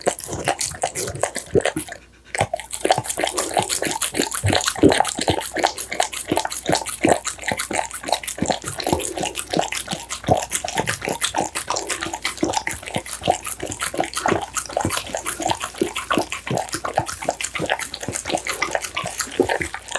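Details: American Bully eating steamed pumpkin, minced duck meat, tofu and dried vegetables, close-miked: rapid wet smacking, licking and chewing clicks repeating several times a second, a brief pause near two seconds, no other sounds.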